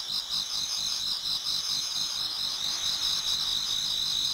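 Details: Chorus of many insects singing in a Japanese garden in autumn as dawn approaches, heard as an unbroken high-pitched ringing trill with quick overlapping chirps, evenly loud and free of other noises.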